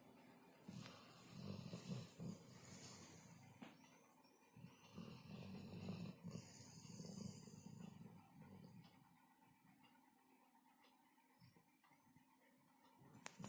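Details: Pet Labrador Retriever Caesar snoring while sound asleep on a sofa at home; deep throaty rattling breaths come in two long bouts, then fade to quiet breathing and faint room noises with a click at the end.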